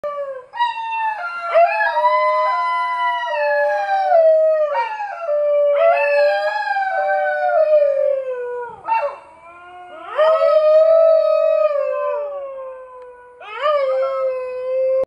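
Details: A dingo in Cape York, Queensland, Australia, howls in long, wavering tones that rise, hold, and slide down between breaths.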